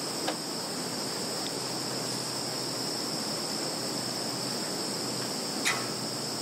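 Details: Insects in a field in Zhukovsky district, Kaluga region, Russia, recorded 11 September 2019: unbroken high-pitched trilling, with a sharp click at the start and another near the end.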